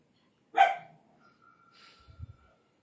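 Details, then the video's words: Indian desi dog with one loud, abrupt bark, then quieter thin tones and low thumps trailing off. "Indian Dog | Desi Dog"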